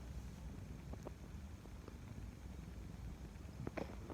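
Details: A cat purring instead of running away: a steady, low rumbling purr runs throughout, with a few soft clicks and a brief crackling burst near the end.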